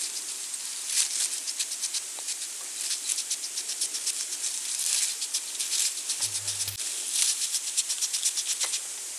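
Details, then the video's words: European hedgehog searching for food at night in autumn, 23 November 2020, beside a small pond and wild bird feeder in central French countryside, eating small slugs; dry crackling clicks in quick rhythmic bursts, several per second, with a brief low hum. "HÉRISSON/Automne/Nuit/Recherche Nourriture ! BRUITX"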